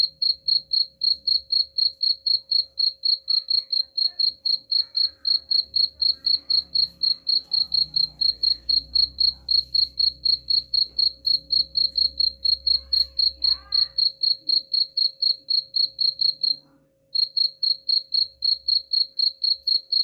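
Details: Cricket chirping meant to repel rats: an even run of shrill, high chirps, about four per second, pausing briefly once before resuming, with faint low background noise.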